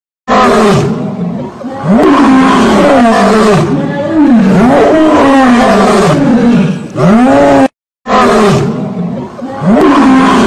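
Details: A lion gives long, powerful bouts of roaring, each made of rolling, rising-and-falling moaning grunts, loud and sustained, broken by one short silence.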